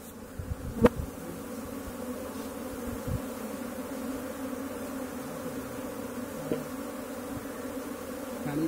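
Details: Indian honey bees buzzing as a colony is collected: a dense, steady low hum with layered droning tones, unbroken throughout, with a sharp click near the start and a few faint knocks.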